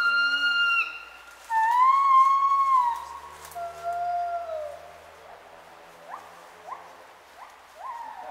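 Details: Gibbons in Khao Yai National Park, Thailand, on 11 December 2016, give loud, pure whooping notes that swoop up and down, then quick rising hoots.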